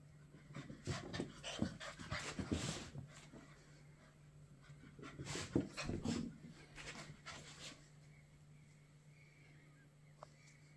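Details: Playful black and silver Miniature Schnauzer at home in Cape Town, South Africa; quick breathy panting and snuffling in bursts, loudest around the middle, fading to quiet with a steady low hum indoors.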